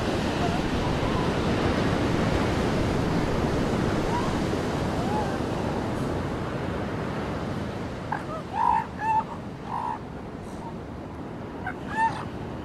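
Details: Seal pups on a beach give short wavering, harmonic wails, clustered near the end with a final cry around twelve seconds, over a steady roar of breaking waves.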